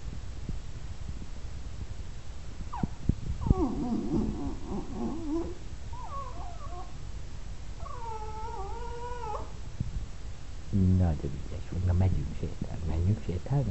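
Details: Jack Russell Terrier indoors, begging to go for a walk. Drawn-out, wavering whines and moaning yodels come in several bursts, then low, throaty grumbling barks repeat near the end.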